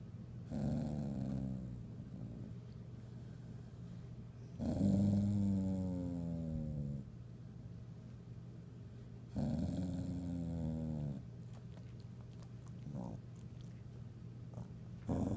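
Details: Indoor pet dog annoyed by another dog searching the room for a toy: three separate low, throaty growls, each one to two seconds long, rising and falling slightly, separated by quiet pauses with a faint steady hum.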